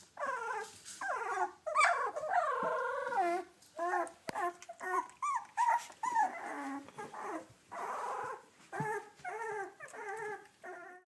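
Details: A litter of seven yellow British Labrador Retriever puppies, two weeks old, whelped May 30, 2013, cry in a steady stream of short, rising-and-falling squeals and whines, about two every second, overlapping at times.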